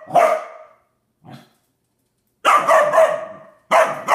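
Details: Standard poodle puppy, male, barking indoors at his water dish as if scolding it: a loud harsh bark, a soft short one, then a quick double bark and a final sharp bark, with quiet gaps between.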